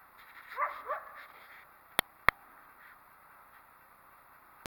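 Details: Single coyote that did not like the recordist's presence gives a brief run of wavering, quavering yelps in the first second, then falls quiet; two sharp clicks and a final click break the otherwise still background.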